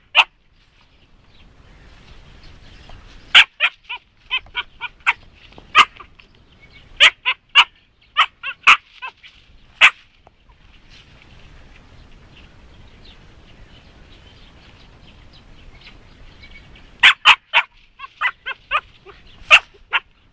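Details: A female Siberian Husky puppy, three and a half months old, barks and yips at a hedgehog on their first meeting. Short, sharp high-pitched yelps come in rapid bursts, with a quiet stretch between the two busiest bursts.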